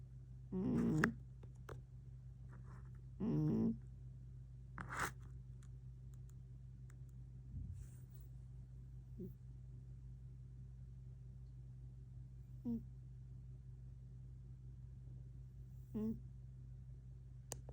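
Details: House cat Tank, recorded 11 October 2025, utters two brief meows early on, then soft scattered chirps, with rustling clicks and a steady low hum in a quiet room.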